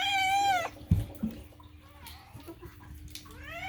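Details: Loud falling meow from a house cat, then quieter knocks and rustling, ending with the start of another rising meow; a low steady hum runs underneath.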